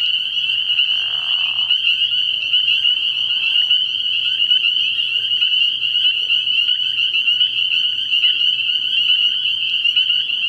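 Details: Many spring peepers calling together at night at a frog pond in early spring, a loud steady high-pitched ringing chorus, with lower rough croaking bursts early on and a quiet low hum throughout.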